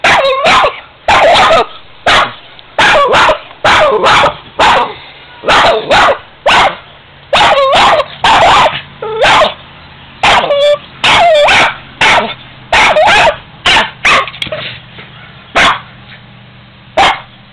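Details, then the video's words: Female Boston terrier at home barking at an old piggy bank she dislikes, sharp yappy barks in uneven bursts, roughly one a second, some doubled, while a person eggs her on. "Boston terrier Bited on 45 year old penny Brnk"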